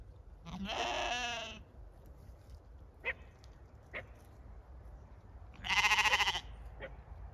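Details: Zwartbles lambs on a regenerative farm in County Kilkenny, Ireland, as autumn approaches: two wavering, quavering bleats about five seconds apart, the second louder, with a few soft clicks and a low background rumble between them.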